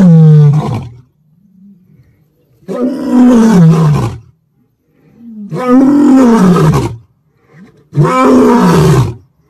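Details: Lion. Four powerful, throaty roars from a lion rise and fall in pitch, each lasting one to two seconds. Low, quieter grunting moans fill the pauses between the loud bursts.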